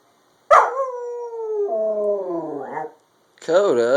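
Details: A puppy howls at an ice cream truck, a drawn-out, tonal howl that slides lower and wavers, then starts up again.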